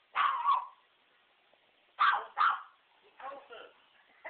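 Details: Sharp barks from a dog going after a remote control truck: a double bark at the start, then a quick pair near the middle, with softer yips and a human voice trailing after.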